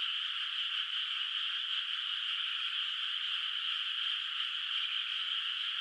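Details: Moonlit rice field at night in the countryside, no rice planted yet, where far-off frogs call; the chorus runs unbroken and uniform, individual croaks indistinct, with no other noises.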